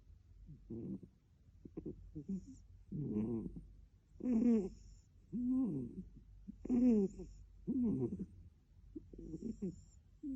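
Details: Adopted male British cat kept as a pet, snoring: soft, rhythmic, low, grunting breaths in pulses about once a second, some louder and rougher than others.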